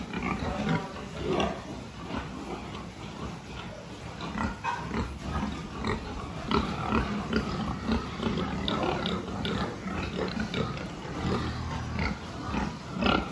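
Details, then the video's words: Pigs at a farm during a health check, 26 October 2023: a dense stream of short grunts and squealing cries. The calls overlap continuously, with louder bursts every second or so over a steady background hum. "Pig health check"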